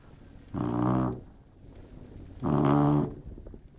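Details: Labrador Retriever snoring while asleep indoors: two long, rough, low rasping snores about two seconds apart, each lasting over half a second, with quiet breathing between.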